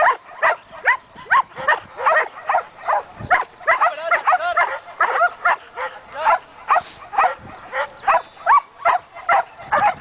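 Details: Rapid, steady barking from a one-year-old Belgian Malinois in protection training, deep-chested harsh barks repeating more than twice per second with hardly a gap.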